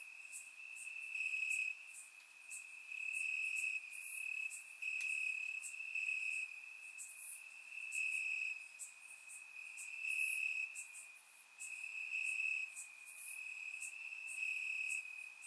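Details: Crickets chirping in the grass on a warm summer night in Bulgaria, recorded with a surround microphone; a steady trilling band holds throughout, swelling in louder pulses about every second or two, with fainter high buzzy chirps layered above.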